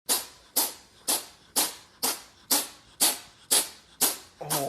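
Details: Poptart, a rescued five-year-old pet cat, indoors at home in Selinsgrove, Pennsylvania, in a sneezing fit after sniffing lunch: sharp, hissing sneezes burst out in rapid fire, nine in under five seconds, about two per second, each fading quickly, with a voice starting at the end.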